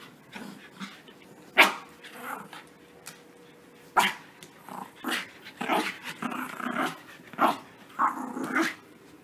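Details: Puppies playing roughly after their bath: scattered short yips and small barks between quieter rustling and soft growly scuffles, bursts spaced unevenly a second or two apart.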